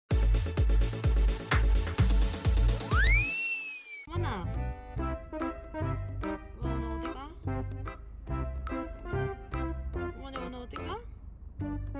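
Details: Upbeat music with percussive beats, bright rising electronic sweeps and a voice speaking over it; no animal sounds.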